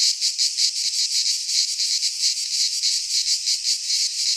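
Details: Cicadas singing in midsummer in a Greek pine forest: a dense, continuous high buzzing chorus, pulsing in loudness about three times a second, with no other sounds.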